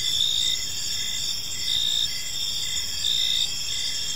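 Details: Gentle cricket chirping in a quiet park at evening, a bright high trill swelling into louder bursts about every second and a half, over continuous insect background and faint low noise.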